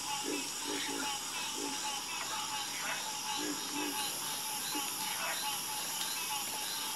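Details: Chorus of frogs at night with clustered low croaks in quick runs and sparse higher chirps, layered beneath a persistent, bright, hissing drone of steady background trilling.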